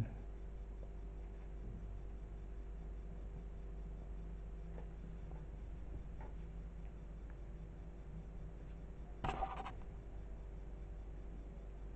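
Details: A quiet indoor room holds a steady low hum, faint ticking and one brief clatter near the end.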